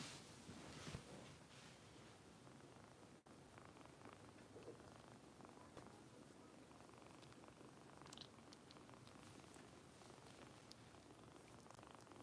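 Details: Foster kitten Harper, a Kitten Rescue kitten in Los Angeles, being bottle-fed indoors; soft, steady low purring runs under handling rustles and light clicks, with a brief thump near the start.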